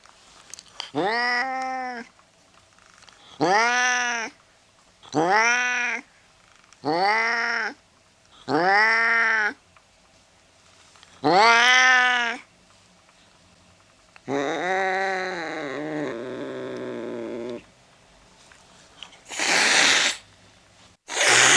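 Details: Angry cat giving a series of loud, drawn-out yowls, about eight in all, each a harmonic wail that rises then falls. A longer wavering cry follows, then two short noisy hiss-like bursts at the end.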